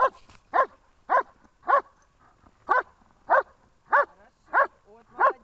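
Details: German Shepherd in protection training, Horlivka, 14 February 2021, barking in a regular series of forceful, harsh barks, roughly ten in five and a half seconds, evenly spaced, with little else heard.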